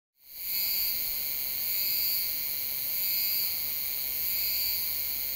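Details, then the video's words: Euterpnosia laii cicada singing at Alishan, Taiwan, in July, recorded with a Sony A7s3 and Rode VideoMic NTG; a steady high, shrill buzzing drone with layered tones that swell gently about every second. "賴氏姬春蟬 蟬鳴聲 / Euterpnosia laii - Cicadas in Taiwan"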